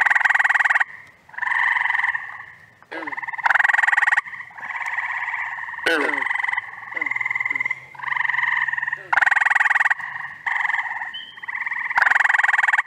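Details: Mixed frog chorus in the first week of June in upstate New York, when spring peepers and toads overlap with summer callers such as gray tree frogs and green frogs: dense, overlapping buzzy trills in bursts with brief gaps between callers.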